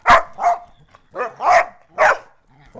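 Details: Poodle facing off against two pit bulls, five loud rough barks packed into under three seconds, close and forceful, with faint speech trailing at the end.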